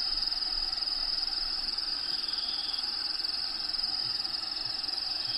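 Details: Cricket chirping inside a bearded dragon vivarium that houses a dragon named Diego, with natural habitat sounds playing in the background; a steady high, shrill trill pulses about twice per second over a constant broadband hiss.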